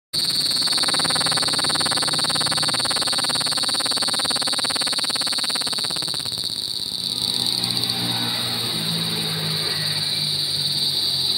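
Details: Cicadas calling: a loud, shrill, unbroken buzzing drone that stays high and steady throughout. A fast rasping pulse runs through it for the first six seconds, then it settles into a smoother, even hum.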